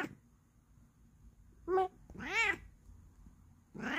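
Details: Pet Bengal cat meowing indoors: a brief clipped call, then a longer arched meow rising and falling, and a third meow starting at the end, over a faint low room hum.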